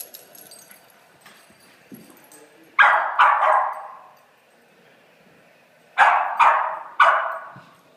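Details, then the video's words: Playful puppies letting out two groups of three quick, shrill yaps, separated by a few seconds of near quiet with faint scuffling. "Crazy puppies playing"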